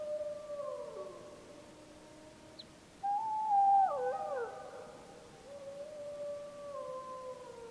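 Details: Pack members of the Snake River wolves returning a pup's howls, Wallowa County, summer 2012: a level howl sliding down, a quieter stretch, then a louder chorus of several voices with bending, crossing pitches and a final steady howl.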